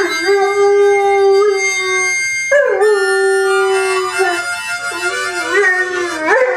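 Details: Domestic dog singing with its owner: sustained even howls broken by a short pause, then another held tone ending in rising wavers, with harmonica playing underneath.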